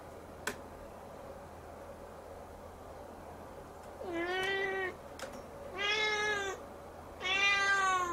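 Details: Young Siamese cat gazing at the ceiling and meowing at length; after four seconds of near silence with a faint click, three long tonal meows follow about 1.5 seconds apart, each slightly rising then falling.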